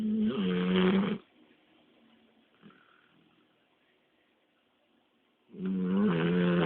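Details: Labrador Retriever snoring after a long walk: two loud, rasping, throaty inhalation snores, each about a second long, separated by roughly four seconds of near silence with faint breathing.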